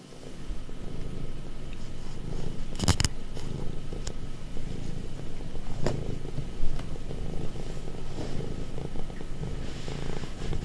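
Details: Affectionate pet cat nearly five years old, purring steadily: a continuous low rumble throughout, with a few brief soft clicks and rustles near the start and middle.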